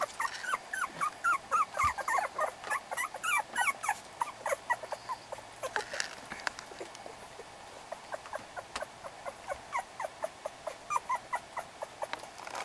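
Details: Litter of growing puppies squeaking and whining in quick, uneven bursts, a dense chorus of thin rising yelps early on, thinning through the middle, then picking up again toward the end.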